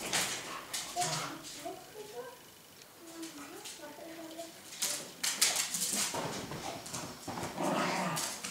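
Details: Dog giving thin, wavering whimpers that rise and fall, clustered in the middle of the recording, with people talking loudly around it.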